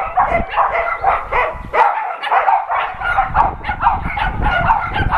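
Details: Shelter dogs at an adoption center keep barking for an NRK TV crew, several voices overlapping in choppy mid-pitched barks over low rumbling background noise, with a short quieter gap partway through.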